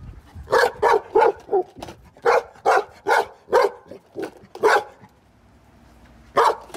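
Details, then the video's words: Golden Retriever barking at a skateboard, a pet dog: a steady series of about ten loud, sharp barks roughly every third of a second, then a short pause before one more bark. "My Golden Retriever barks at skateboards for 2 minutes straight"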